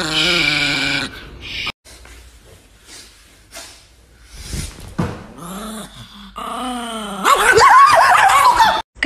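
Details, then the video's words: Angry pet Chihuahua giving a high, whiny growl for about a second, then a long stretch of quieter sound, ending in wavering growling whines; a woman repeatedly says 'stop it' and 'shh'. "Angry Chihuahua Dogs Compilations"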